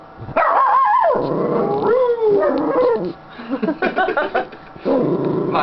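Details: Contented female Schnauzer on her owner's lap giving a long, wavering growl-like moan that bends up and down, then a run of quick choppy grumbles, with a woman's voice talking to the dog.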